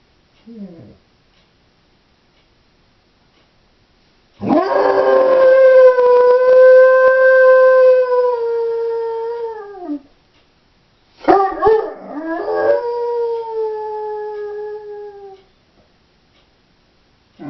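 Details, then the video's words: Female Doberman left home alone indoors, howling: a loud sustained tonal howl of about six seconds, steady then falling at the end, followed by a shorter broken howl that slides downward; brief faint whimpers at the edges. "Howling Doberman"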